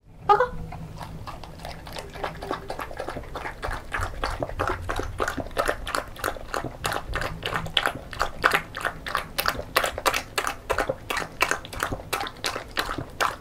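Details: A female beagle born 20 December 2016 eats homemade banana porridge noisily, with quick wet smacking and lapping sounds repeated several times a second.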